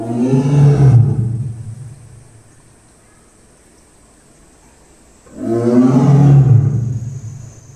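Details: A tiger at Tobe Zoo, Ehime Prefecture, Japan, growls after drinking water, two deep, rumbling growls separated by a pause of about four seconds.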